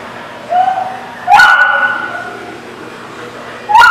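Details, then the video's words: A dog gives drawn-out whining yelps, the first rising, the second long and level, with a sharp bark-like burst and a second rising whine at the end over low background hum. "The Barking Lot"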